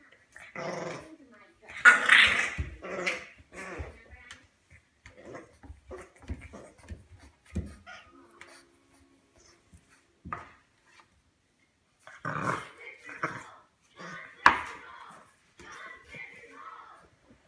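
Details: Bear, a female bulldog, growls and grumbles in agitated bursts because she wants her collar off. Rough low growls mix with higher whining yelps, and a person talks between the outbursts.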